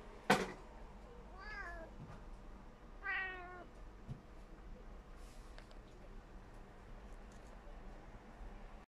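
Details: Tabby cat Tommy gives two short, wavering chirp-like meows while wanting to catch a little fly, with a sharp knock at the start.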